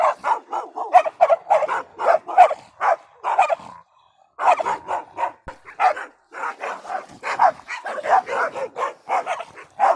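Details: Dogs bark rapidly and steadily, a dense run of short punchy barks broken by a near-silent gap around the four-second mark before the barking resumes just as busily.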